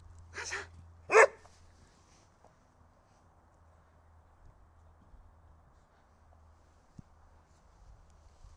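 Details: Wanting his stick, the dog Holger lets out two sharp, quick barks in a row, then falls quiet apart from a low steady hum and a faint click.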